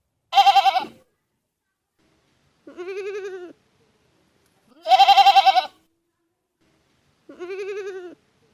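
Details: Goat bleats trade back and forth in clean quiet: two loud, strongly trembling cries alternate with two softer, lower, steadier bleats, about two seconds apart.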